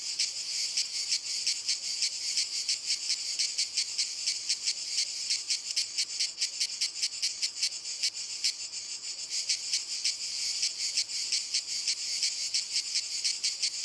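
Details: Cicadas in walnut trees sing a continuous, harsh, high-pitched buzz that pulses rapidly without pause.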